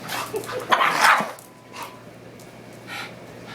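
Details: Indoor play fight between two young mixed-breed pet dogs, pug crosses about five months old: one loud burst of yapping barks and growling near the start, then quieter scuffling and a faint second yip.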